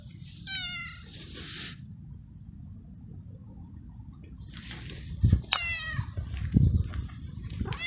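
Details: Stray tomcat in heat calling for a female to mate, excited by petting: a clear, tonal meow early on, then a quiet stretch, then two more meows mixed with thumping and rustling as the cat is handled.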